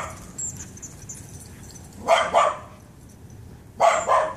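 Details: Excited play between a Shiba Inu and a Pit Bull in a backyard; two loud double barks, one midway and one at the end, over soft background noise and faint high chirps.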